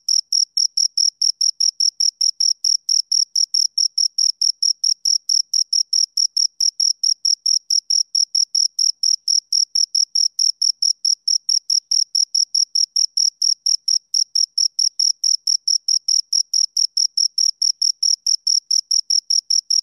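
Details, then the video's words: A pair of crickets chirping on and on, dense high-pitched pulses in an unbroken rhythmic stream for twenty seconds, very regular, with nothing else audible. "Two Crickets Chirp Sounds"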